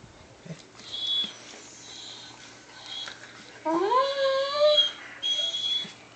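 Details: Pet Weimaraner, excited and lightly provoked, howling with a labmaraner in a room: thin high whines at first, then a louder rising howl that wavers and tails off, followed by another thin whine.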